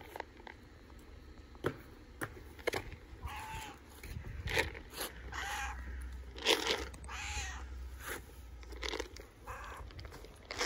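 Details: Hungry tabby street cat in Istanbul meowing loudly, several drawn-out harmonic meows around four to eight seconds, each rising then falling, with clicks, handling noise and low rumble between.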